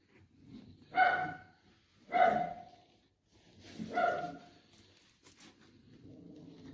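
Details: Maltese terrier puppies: three clear, high, ringing yaps roughly a second apart, followed by quieter rustling and faint whining.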